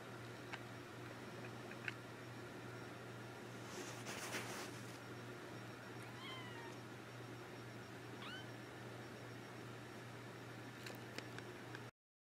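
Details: Three-week-old Persian kittens, filmed March 24, 2014 after a March 5 birth, let out two brief high mews midway, preceded by a short burst of rustling, all above a constant low hum indoors.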